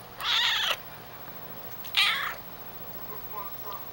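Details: A chatty young female Calico cat talks with her owner in two short, raspy, breathy meows about 1.5 seconds apart. Faint softer sounds follow in a quiet indoor setting.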